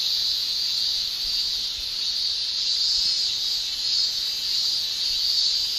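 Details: Cicadas singing in summer in Japan, males producing their shrilling with tymbals; a dense, steady high-pitched hiss-like drone fills the whole stretch with gentle swells in loudness and no other clear sounds.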